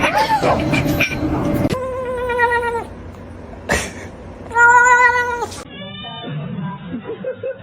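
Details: Domestic cat in a cat fight: two long, drawn-out wailing yowls, each held steady for about a second with rich harmonics, separated by a short gap, plus a fainter trailing cry, with background speech and music.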